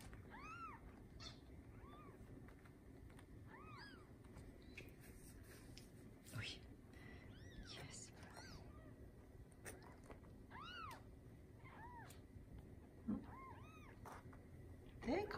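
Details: Newborn Bengal kittens from a litter of seven born the morning of 7/15/19 to Lisa, a TICA-registered Bengal queen at a cattery. Thin, arching high mews come roughly every second, over quiet human voices and soft handling clicks.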